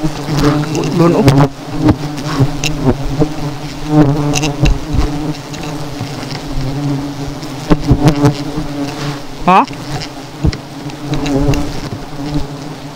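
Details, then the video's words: Agitated honey bee swarm chasing people after seven hives were dropped: an unbroken heavy buzzing roar, rising whine of a bee flying past near the tenth second, scattered thumps and handling noises. "PAGPUHAG SA 7 KAPUTYOKAN NGA NIBABA AKONG KAUBAN"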